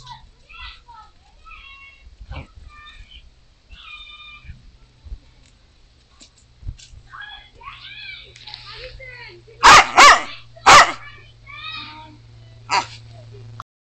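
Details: Lakeland Terrier in Maryport playing fetch with a stick, giving three sharp, loud barks late in the sequence while a person talks and encourages it throughout.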